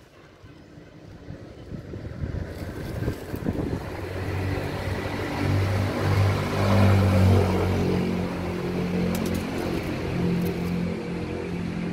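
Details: Steady vehicle engine rumble builds over an outdoor urban scene, with no animal voices standing out.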